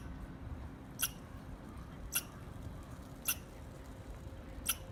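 A squirrel gives sharp, high chirps, spaced about a second apart, over a low background rumble.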